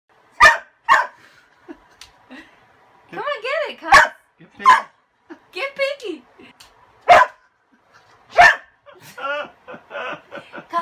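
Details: Kasa, a pet dog afraid of a broom, going wild because his toy lies under it: sharp loud barks spaced a second or more apart, mixed with rising-falling whiny yelps and short grumbles indoors.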